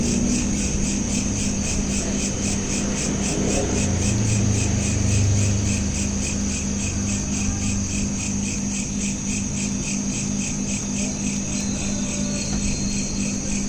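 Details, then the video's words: Crickets at night, recorded on a smartphone: high, fast pulsed chirping repeated steadily throughout, over a constant low hum and rumble like distant traffic. "Night Lamp Ambience with Crickets"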